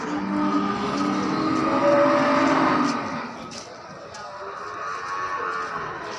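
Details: Simmental cattle, cows with 3-4 month old calves, giving a drawn-out lowing moo that swells and fades over about three seconds, with general crowd and vehicle noise behind.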